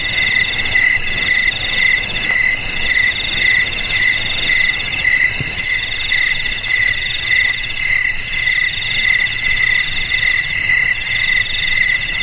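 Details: Crickets, jangkrik, whose sound is meant to scare off rats around houses and paddy fields, keep up an unbroken high trilling with rhythmic pulses in two bright pitch bands over twelve seconds, with soft noise beneath and no other animals.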